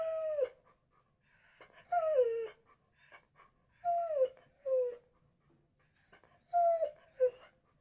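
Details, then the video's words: Dog whimpering in a series of high, descending whines, each under a second long, repeated every one to two seconds with faint soft sounds between. "DOGS NOISE SOUNDS BARKING WHINING"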